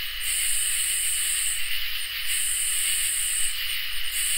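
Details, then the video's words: A summer night chorus of crickets and katydids. A continuous high, even trill is topped by sizzling buzzy bursts lasting over a second each, separated by short breaks, with a soft low background hum. "Crickets and Katydids in Summer | Ambient Night Chorus"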